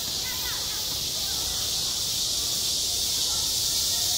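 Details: On a school playground in high summer, cicadas keep up a steady, piercing buzz like rushing steam, with a few faint distant voices barely audible.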